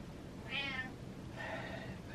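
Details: An indoor pet cat seeking a man's attention gives two short meows, the first higher and clearer, over a low room hum.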